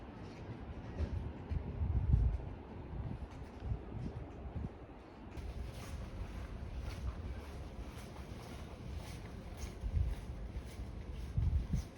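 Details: Low rumbling wind and handling noise fill the recording, with soft thumps and no animal voice heard.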